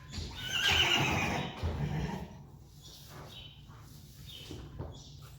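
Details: Loud, rough Friesian horse whinny at the start, shrill and breathy and lasting over a second. It fades into quieter stable sounds, with hoof thuds and faint chirping afterward.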